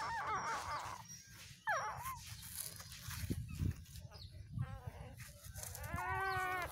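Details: Newborn puppies, two days old, stirring in their sleep with short wavering whines and squeaks, one near the start, one sharp rising squeal, a few faint murmurs, then a longer quavering whine at the end; low steady hum throughout.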